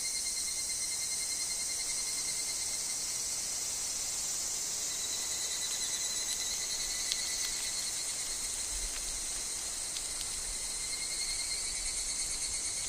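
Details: Higurashi evening cicada calling in a wood with wind and falling leaves: a pulsing high band swells and fades in phrases over a steady, shrill insect chorus with a constant high whine.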